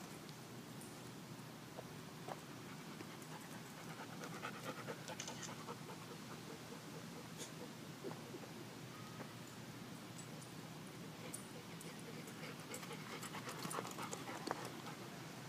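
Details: Sasha, a dog out on a sunny Saturday at the dog park chasing tennis balls, breathes in quick continuous pants amid a steady wash of outdoor noise with scattered clicks and clatter.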